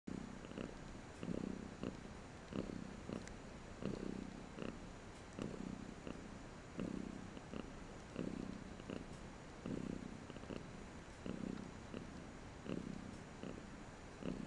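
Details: Domestic cat purring strongly up close; rhythmic rumbling pulses, roughly two each second, rise and fall steadily with each breath in a quiet room.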